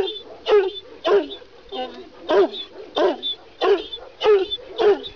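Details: Kangal, a Kurdish shepherd dog from Sivas said to stand 90 cm and weigh 90 kg, giving deep, hoarse barks in a steady series, roughly one every 0.6 seconds, each bark rough and full, with little background noise.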